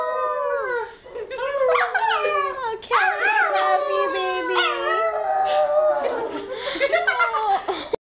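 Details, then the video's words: A pet dog does its singing trick at a sleepover, one its owner taught it. Continuous wavering howls rise, fall and yodel for several seconds, with people talking and laughing in the room. "Singing Dog!"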